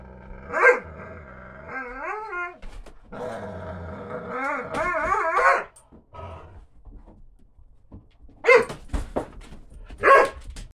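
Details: Two Doberman sisters playing together indoors: rolling growls and wavering, moaning whines for several seconds, then a quiet pause broken by scuffling, and finally two short, loud barks.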